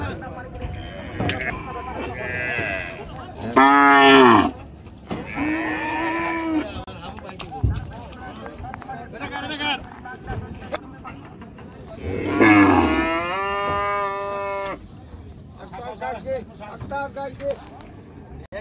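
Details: Cattle being unloaded from the river side at a very popular village cattle market; two loud, drawn-out harmonic moos, near four and twelve seconds, with steady crowd chatter and voices throughout.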